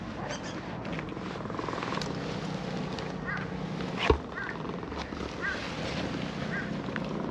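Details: Orange-and-white cat that walked down a slope in a park, purring with pleasure while being stroked; a steady low rumbling purr runs throughout, with faint rustling and a sharp knock near the middle.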